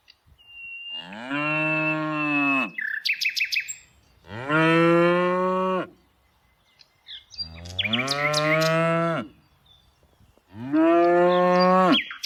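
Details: A tame cow, herded in the afternoon, moos four times, each call long, deep and droning, about every three seconds.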